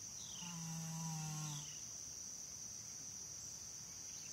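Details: Janie, an American Saddlebred horse, snoring while asleep: one drawn-out, humming tonal snore of over a second with a buzzy harmonic edge, over a steady high insect chorus.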